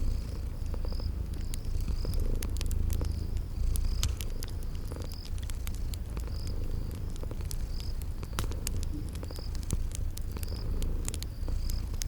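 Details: Sleeping kitties purring beside a crackling fireplace in a spring garden ambience: a steady low rumbling purr underlies sharp, scattered fire crackles, while high cricket chirps repeat at short, even intervals throughout.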